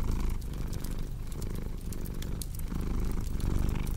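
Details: Domestic cat purring steadily, a deep rumbling drone in low continuous pulses, with sharp pops and snaps of a crackling fireplace scattered throughout.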